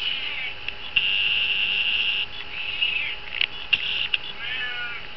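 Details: Pet cat Honey, indoors, trying to get into the vivarium of Smeagol the chameleon; one short, harmonic meow that bends down near the end, over a steady high-pitched hum and scattered tapping and scratching.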